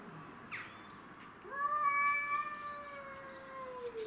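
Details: Domestic shorthair cats defending territory, Tom, Mimi and a stray: a short squeak, then a loud sustained yowl that starts abruptly and holds a steady pitch with a gentle downward slide at the end.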